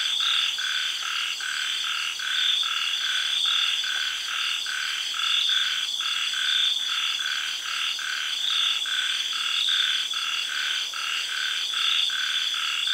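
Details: Frogs in a tropical garden in Thailand calling after sunset following early rains. Brief, clipped croaks repeat irregularly over a loud, unbroken shrill insect and cicada drone.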